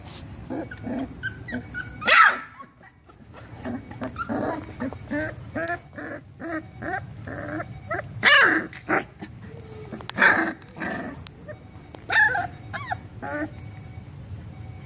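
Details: Three-week-old Labrador Retriever puppy, Yellow Daisy, growling and barking playfully among litter mates after nursing; small high yaps repeat every two seconds or so, with whiny squeals and grumbles between, over a low hum.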